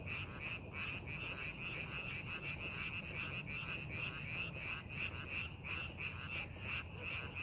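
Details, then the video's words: Chorus of frogs in rice fields readied for planting: many overlapping rasping croaks pulsing roughly three times a second without pause, with steady low background rumble. "농사준비하는 논에서 개구리 울음소리"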